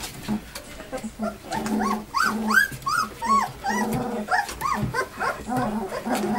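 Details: Puppies about two weeks old, born in March, on the day of deworming and weighing: high arched squeals and whines come in short bursts over a low background murmur.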